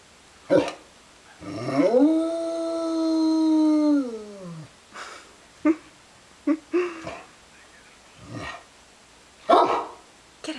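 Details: Domestic dog responds to outdoor sirens with a sustained tonal howl that sweeps up, holds level for about three seconds and slides down, then breaks into short barks and yips while a person talks over music.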